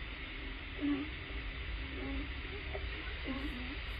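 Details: Underwater hydrophone recording from Puget Sound near Vashon Island, Washington, USA, of California sea lions barking, probably at the surface: a few brief, low, nasal barks in quick succession over constant rumbling background noise.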